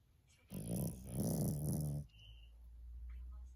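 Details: Maltese dog snoring in its sleep: one long buzzing, vibrating snore of about one and a half seconds, followed by quiet breathing and a faint high tone.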